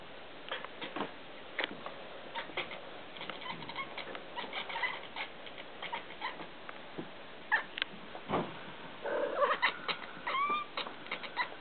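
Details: Young female kitten making bird-like noises: scattered rustling and clicks, then a short run of small rising and falling chirps near the end.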